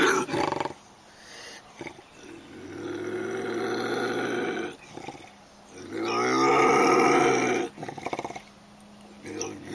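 A bobcat gives two long, harsh, rasping growls, each rising into a moaning yowl and lasting about two seconds, after a brief spoken word.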